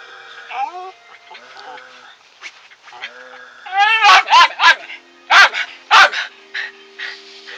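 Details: Domestic dog whining with rising tones, then breaking into a run of loud barks, about five sharp yaps spaced unevenly, with a faint whine after.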